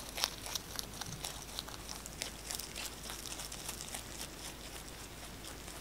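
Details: Rabbit 꽃돌이 eating fresh basil in a close-miked ASMR recording; rapid, fairly steady crunching of about three bites per second, bright crackling and tearing leaf sounds over a quiet room.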